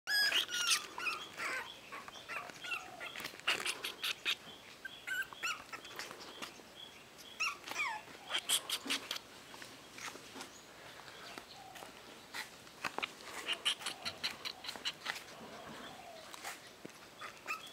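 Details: Pomeranian puppy at a breeding kennel, giving a dense run of short, high, thin yips and squeaks at irregular intervals, some strongly harmonic, with brief quieter gaps between bursts and no other clear sounds.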